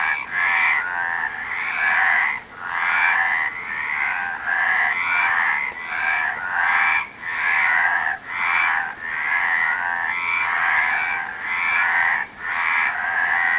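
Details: Loud frog chorus of grating, trilled croaks in repeated bursts with brief pauses, sustained throughout, faint high whistles drifting over the rasping calls.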